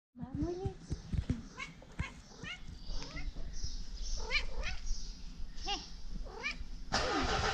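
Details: Two pet cats asking to be petted at the same time, jealous of each other; a run of short, rising-then-falling meows, some overlapping, while a person talks to them, ending in a burst of rustling noise.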